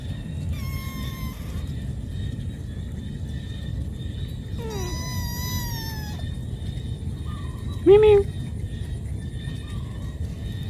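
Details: Cat calling its mother for food: a few spaced meows, some long and slowly falling, ending in a short, louder wavering call, over steady low background noise.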